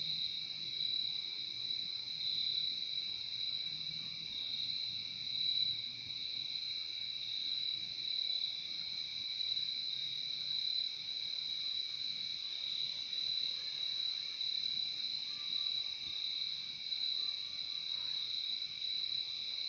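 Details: Steady massed cricket chirping, offered as peaceful nature sound for falling asleep: a constant shrill, high-pitched hum with a lower companion tone, even in loudness across the long stretch, no birds or voices.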